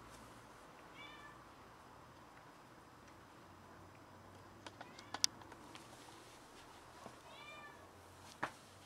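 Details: A house cat, having caught a rat and carried it in to brag, meows twice, once near the start and once near the end, each a short bent cry, with scattered clicks and taps between.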